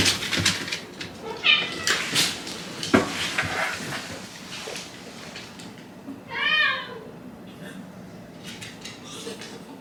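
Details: At bedtime, Shiba Inu Hachi complains after being made to wait too long, with a faint early whimper and then a clear rising-falling whine; scattered knocks, rustles and household noise fill the gaps.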